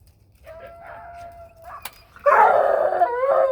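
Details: Bluetick Coonhound named Mable, excited while heading home to a new family that already owns her brother, bays: a thin sustained tone first, then a loud, harmonic-rich drawn-out howl that bends and wavers near the end.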